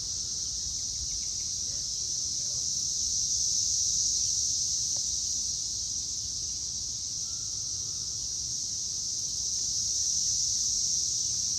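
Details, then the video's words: Loud cicadas recorded on May 24, 2024 at 6:00 pm: a steady, high, hissing drone that fills the whole stretch without a break and swells slightly in volume around the middle and end, with a few faint low sounds beneath. "Loud Cicadas!"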